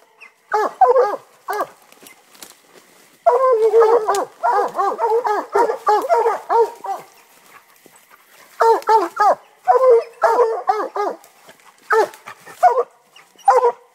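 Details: Two Black and Tan Coonhounds, one two years old and one nine months old, bay at a treed raccoon in quick, rhythmic bursts of ringing barks.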